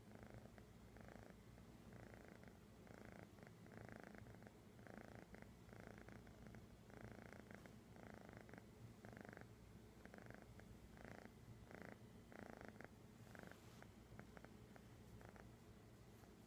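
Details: Found kitty recorded in Sun City, California, 11-09-2015, purring continuously in even pulses roughly every half to three-quarters of a second, each breath a soft rasping throb over a low background hum.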